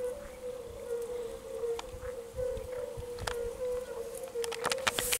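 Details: European fire-bellied toads give soft, low, hooting notes blending into a steady chorus in the background, with clicks from a water frog; recorded 10 May 2022.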